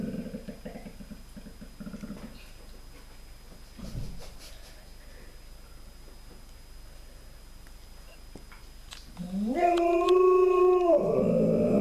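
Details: Alaskan Malamute. A low, pulsing grumble opens, followed by quiet murmuring and a short bark. An Alaskan Malamute then lets out a loud, rising howl with rich overtones that wavers and holds near the end.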